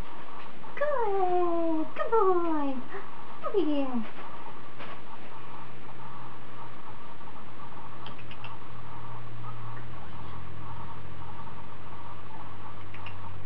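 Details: Bond, a 28-day-old Standard Poodle puppy on his fourth day of training as a future service dog, gives three high, sharply falling whines within four seconds, followed by quiet with a low steady hum indoors.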